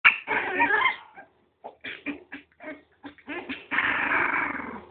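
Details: Miniature pinscher puppies playing: a run of short, rough growling yips and whimpers in quick irregular bursts, with a longer sustained growl near the end.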